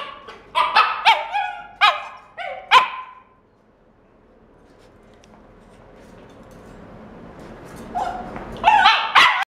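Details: Red male Shiba puppy at a pet shop, born September 2016: a quick burst of five high yapping barks, then a few seconds of quiet room hum, then another cluster of shrill yips at the end.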